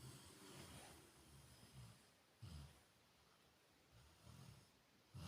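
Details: A sleeping Rottweiler snores with low, rumbling breaths that come in slow, uneven waves.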